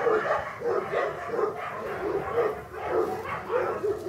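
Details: English Cocker Spaniel puppies from a kennel litter born August 2011, giving short harmonic yelps and whines, repeated about every half second, several voices overlapping with steady rhythmic pulses.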